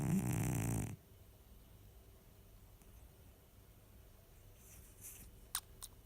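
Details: Baksik the cat asleep indoors, giving one short, deep, rasping snore at the start, followed by several seconds of near silence with a couple of faint clicks.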